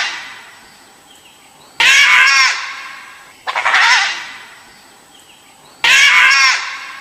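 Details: A dhole (Cuon alpinus, Asiatic wild dog) gives three shrill, harsh screaming calls, each under a second, spaced about two seconds apart.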